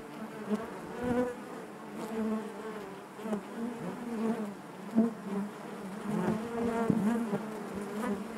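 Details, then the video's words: Honey bees buzzing inside their hive: a dense, steady drone with layered hum bands, swelling and fading in soft pulses, with brief louder surges near one, five and seven seconds. "bees therapy hive natural buzzing sound"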